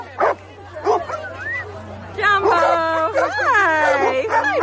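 Golden Retriever puppies give sharp yips, then long, wavering, high whines, over a low steady hum.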